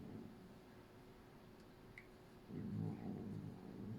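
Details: Indoors, a Norwegian Forest Cat washes Jazzi, a female Bengal cat, while making low, rough, grumbling sounds in a run of uneven pulses during the second half, over a quiet room hum.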